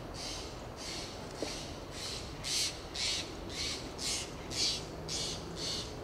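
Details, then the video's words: In Del Monte Forest, California, a fox squirrel (Sciurus niger) on a Monterey pine makes lip calls: rhythmic, breathy puffs about two per second, soft at first and growing stronger in the second half. "Fox squirrel makes lip "calls""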